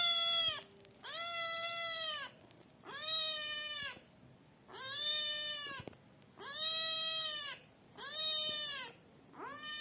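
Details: Kitten meowing loudly, calling for its mother and food: a series of about six drawn-out, harmonic meows, each rising slightly then falling at the end, repeated roughly every two seconds with short quiet gaps.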